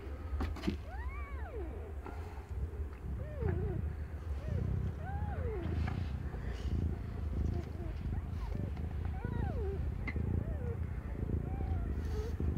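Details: Cat Aimee, younger than one year, during the birth of her five kittens: an early clear harmonic meow, then several softer, shorter mews scattered across the clip, with rustling and low hum beneath.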